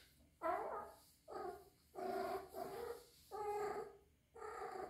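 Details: Rescued three-month-old female kitten, kept indoors with adult cats, possibly in heat, giving a run of drawn-out, moaning harmonic yowls, each about half a second to a second long, repeated with short pauses, in a quiet room.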